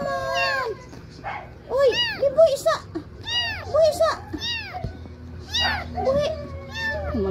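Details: A trio of little kittens crying out in clear, rising-then-falling mews, several in quick succession about every half second, mixed with people's voices close by.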